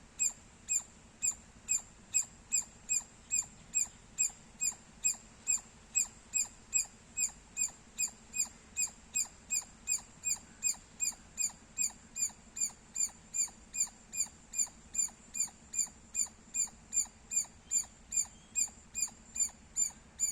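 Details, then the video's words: Squirrel chirping loudly: short, sharp, high chirps with a bright ringing overtone, repeated steadily about two to three times per second throughout, with no other clear sounds. "Loud Squirrel Sounds -squirrel chirping Sounds Loud"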